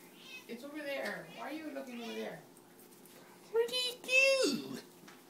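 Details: Ariibella, a pet cat indoors, talking to a moth: a run of drawn-out, wavering meows that rise and fall, then a brief pause before two sharper, louder mews, with a woman's voice speaking nearby.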